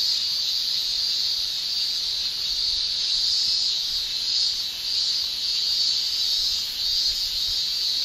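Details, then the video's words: Japanese summer cicadas, males singing with their tymbals, fill the air with a constant piercing buzz. Loudness rises and dips in slow waves, briefly softening near the middle, and the drone never stops. "Japan Summer Cicada Shrilling"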